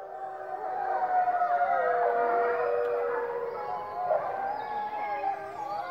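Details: Trio of grey wolves at the Sainte-Croix animal park, July 2016, howling together: several long, smooth, wavering tones overlap and glide up and down, forming a dense, sustained chorus.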